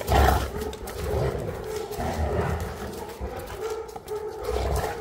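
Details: A deep, rumbling growl-like grumble comes from a Boerboel, also called African Mastiff, one of the Egyptian-kept couple Enzo and Diva. It is loudest at the start, then continues in lower, uneven surges with a faint droning tone.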